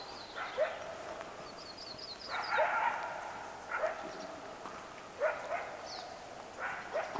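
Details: Coyotes calling at morning on the West Walker River: harsh barks and broader yipping bursts come every second or so, mixed with a quick series of high bird chirps.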